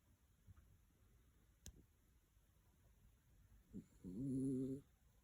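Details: A 12-year-old pet dachshund snoring: after soft breathing sounds, one low, buzzing, harmonic snore lasting under a second rises near the end, in a quiet room.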